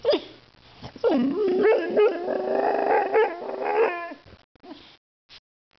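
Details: A 1-year-old white female Boxer, trying to bite a can of compressed air, gives a run of excited, wavering growls and yips, ending in a few short barks.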